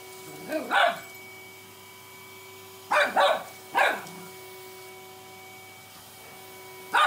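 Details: Cockapoo puppy barking at a vacuum cleaner, unsure whether to fight or play with it: short yappy barks, one pair near the start, a cluster of three in the middle and one more at the end, with a steady machine hum throughout.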